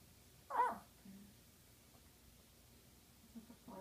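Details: Yorkshire Terrier; squeak; asking for attention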